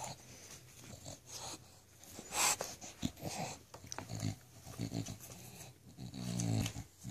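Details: English Bulldog puppies indoors, giving wheezy snorts and snuffles with a short whining grunt near the end, over soft rustling and background hiss.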